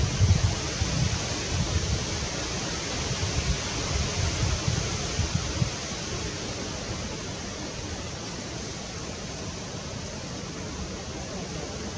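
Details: Steady broadband rushing noise like wind or flowing water, louder and rumbling in the first six seconds, with no animal calls heard.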